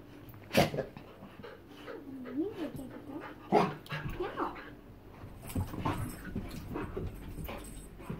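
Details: Two pet bull terriers indoors; soft whimpering and whining with rising and falling tones, a few sharp louder bursts, and a person speaking in the background.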